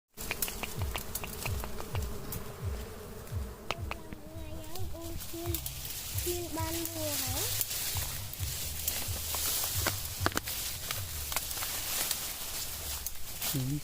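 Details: Wild dwarf honey bees at a nest near a house, being collected from nature; a low droning buzz with pulsing hum runs throughout, under voices talking and scattered clicks and rustling.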